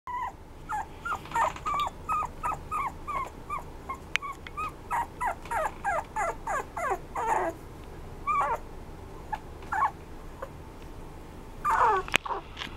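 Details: Red Toy Poodle giving a rapid series of short, high, whining yelps, about two per second, that break into looser, irregular cries and end in a louder, rougher burst.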